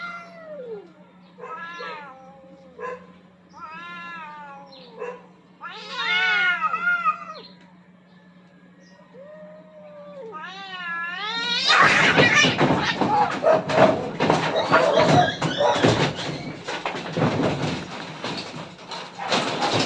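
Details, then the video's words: Two aggressive cats fighting for dominance on a rooftop: a run of rising-and-falling wailing yowls, harmonic and strained, then from about twelve seconds a loud burst of hissing, spitting scuffle noise as the fight breaks out. "Cats Fighting for dominance at the roof top"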